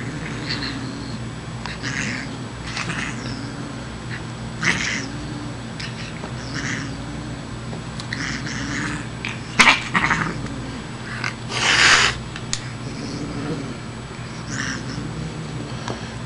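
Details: A female Siamese cat making funny sounds while playing with a kitty tickler toy: a series of low, wavering, moaning calls with harsh hissy bursts, the loudest near the end, in a quiet room.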